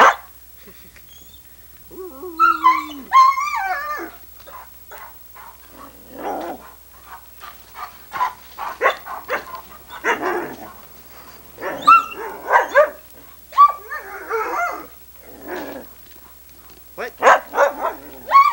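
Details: Irish Setter female recorded in 1987 on VHS, a dog that likes to talk, giving varied whining, yodel-like howls and short vocal bursts in reply to her owner's prompts, with a man speaking between.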